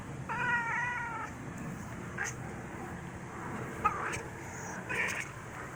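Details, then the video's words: Black cat making chittering noises at its owner: one trilled, warbling chirp with a stack of harmonics, lasting about a second, then a few faint, brief chirps over a low hum. "Black cat makes chittering noises at me"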